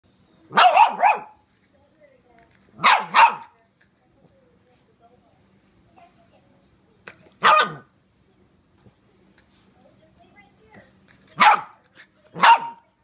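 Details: A 13-week-old Shiba Inu puppy biting a brush gives short, sharp barks, often in quick pairs, separated by pauses of a few seconds.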